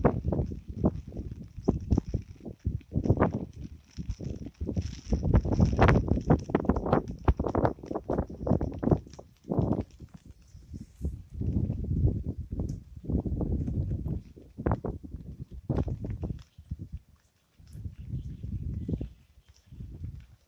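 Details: Amboli hills forest frogs at night in Sindhudurg, free of background music: a loud, sustained mass of deep, rasping croaks in rapid pulses, rising and falling in long bouts with brief lulls, over a thin insect drone.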